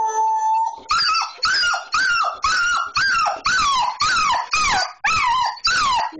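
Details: An excited Border Collie named Portia, eager for a car ride, gives about ten loud, regular whining yelps roughly every half second. Each one starts high and slides downward, after a brief steady tone at the start.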